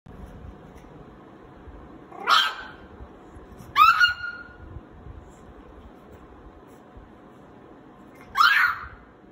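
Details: A 60-day-old pug puppy barking for the first time gives three short, high, yappy barks spaced a few seconds apart.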